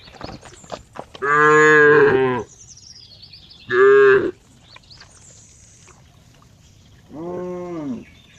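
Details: Cow mooing in three long, harmonic-rich calls, the first lasting over a second, a shorter one near four seconds and a softer, lower moo at the end; faint background noise between calls.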